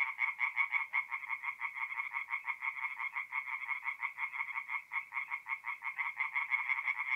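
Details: Tree frogs singing at night by a forest pond in north-eastern Italy in mid-April; quick, regular rattling croaks, close to three per second, with distinct gaps between pulses.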